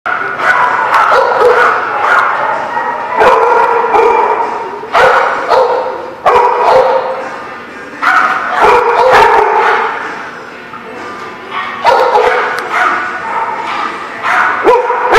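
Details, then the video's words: Dogs barking at a dog park on 17 February 2018, several voices overlapping in irregular bursts of harsh, mid-pitched barks, with short pauses between volleys. "The Barking Lot"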